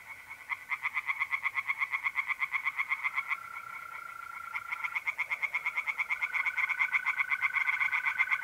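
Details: Singing tree frogs by night in an Italian pond in April, dense trains of quick rasping pulses rising and falling in loudness, with the even high trill of mole crickets in the background.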